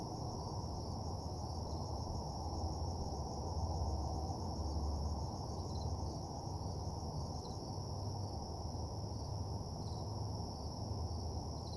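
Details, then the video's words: Crickets at night by an empty parking lot: continuous high ringing trill with occasional faint higher pulses, beneath which a deep rumbling hum swells slightly midway. "Nighttime Parking Lot Ambience (Cricket Sounds)"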